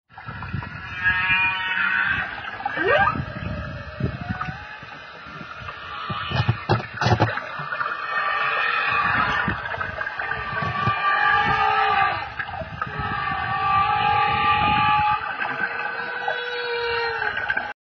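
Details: Humpback whale song off Kauai: long moaning tones, swooping upsweeps and squeals layered over a steady underwater hiss.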